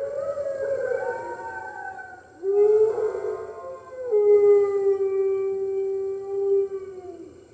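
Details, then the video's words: Red wolves at the New York Wolf Conservation Center howling on the early morning of March 15, 2013, joining the center's other wolves: several overlapping long, steady howls, some sliding upward at the start, held for seconds with slight wavering. "Red Wolves Howling - Early Morning"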